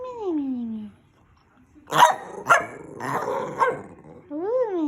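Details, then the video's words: Rat Terrier making funny noises: a drawn-out falling whine, then a short burst of sharp, barky yelps mixed with a person's voice, ending in a rising-then-falling whine. "Minnie making funny noises"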